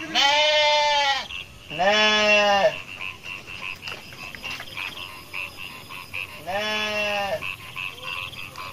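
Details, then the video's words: Baby goats on an Indonesian goat farm bleat loudly three times, each cry wavering and nasal and lasting about a second. Soft, high chirps continue in the background between the calls. "ANAK KAMBING LUCU ADIK KAKAK | KAMBING BERNYANYI"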